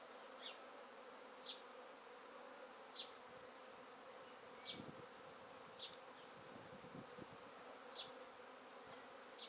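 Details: Honey bees swarming as they are gathered off a tree into a basket: a continuous mid-pitched buzzing drone, while a bird repeats short downslurred high chirps roughly every second, with some low rustling of handling.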